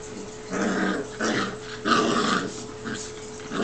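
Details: Play-fighting Newfoundland brothers Huck and Sawyer, seven weeks old, growl wildly while wrestling; harsh, snarly bursts repeat in quick succession, four or five within a few seconds, against a faint background hum.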